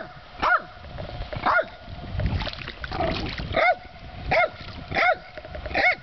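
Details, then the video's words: Dog barking at trout: six short, tonal barks that bend up and then drop, spaced unevenly about a second apart, with splashing water between them. "dog barking at trout"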